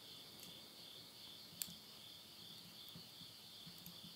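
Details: A steady high insect trill at midnight in rural Tottori, Japan, late summer 2020, with one loud snap and a few quieter crackles of wood burning in a stove.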